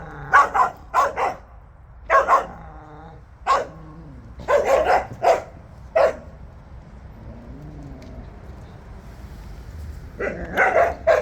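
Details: Jindo dogs out on a walk, barking in sharp bursts of two or three barks, with gaps between clusters and a quieter stretch before a final run of barks.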